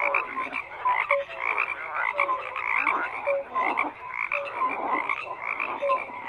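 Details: Frogs croaking in a dense, continuous chorus, overlapping rasping croaks with short tonal notes repeating irregularly, several callers at once, steady throughout without other clear sounds.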